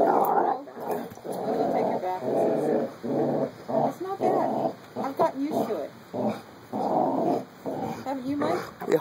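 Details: Puppies Carlee and Sonny wrestle in play, trading long, rumbling growls in steady bursts, with people talking over them in the background.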